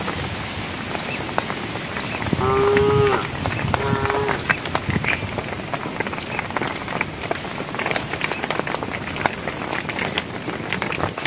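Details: Cows walking on a project road, calling the herd: two short moos in quick succession early on, then continued scraping, clattering noise with faint rain-like patter.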